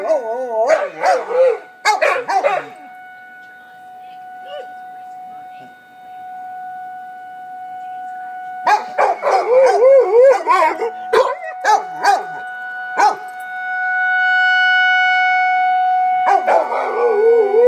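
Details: Pet dogs, one named Biggs, howl in reaction to a tornado warning siren heard for the first time; wavering howls come in bursts at the start and middle, broken by pauses where the long steady siren drones on.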